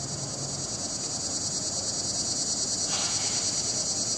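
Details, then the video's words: Swamp cicadas (Neotibicen tibicen) in chorus, recorded 08-09-15. A dense, steady, high-pitched buzzing drone with a faint regular throb runs unbroken throughout. "Neotibicen tibicen chorus"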